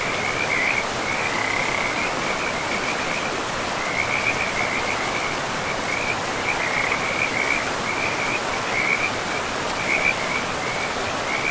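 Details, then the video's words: Rushing river water in a pristine forest, with a continuous frog chorus above it, rapid trilled calls repeating in clusters about every second. "River and Frogs sleep sounds"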